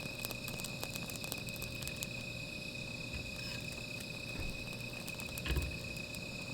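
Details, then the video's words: Insects calling at night beside a small fire outdoors: a steady, continuous high trilling drone with a fainter lower tone, broken by scattered sharp crackles and pops and a brief louder thump near the end. "Sound of Insects"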